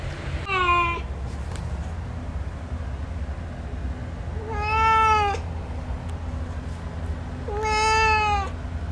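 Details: Male cat giving three drawn-out meows, each a harmonic-rich wail that rises then holds steady, spaced about three seconds apart over a steady low hum.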